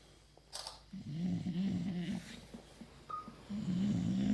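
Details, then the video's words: Bogui, an English Bulldog, sleeping with a ball held like a pacifier, snores in low rumbling bursts, two long drawn snores separated by a quieter pause, with a brief faint squeak in between indoors. "Bulldog Ingles roncando"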